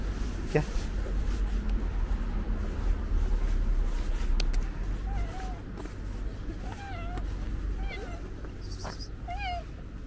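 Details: Friendly male tabby cat, a street stray being fed, rubbing his head against a person's hand. Several short, high meows bend in pitch, mostly in the second half, with human speech and a low traffic rumble behind.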